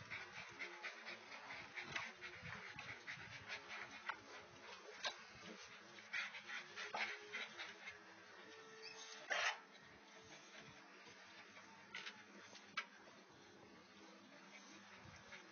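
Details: Great Dane being sexually harassed, with soft high whimpers and a brief thin whine in the middle, over constant hissy background noise and scattered clicks and rustles.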